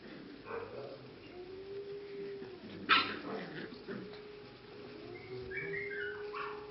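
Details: Six- to seven-week-old English cocker spaniel puppies at the Czech kennel z Blatova: scattered soft whimpers, one sharp yelp near the middle, then rising and falling whines late on, with a constant droning tone underneath.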